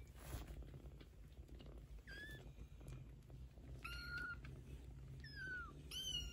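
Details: Maine Coon mother cat with her 15-day-old kittens, talking to them: a series of short, high mews, several curving downward in pitch, come in the second half over a low, steady background hum.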